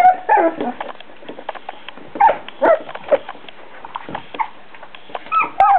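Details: Beagle puppies at four weeks old whimper in brief, thin squeals spaced a second or two apart, separated by soft scuffling and clicking sounds of movement.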